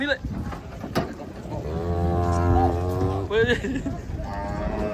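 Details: Enraged cattle, horn broken, unloading from a truck: a long, deep, steady moo of about one and a half seconds, rich in harmonics, rises out of people talking and handling noise.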